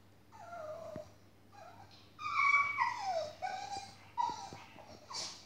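A Staffordshire Bull Terrier whines in high, wavering, falling whimpers after its owner leaves.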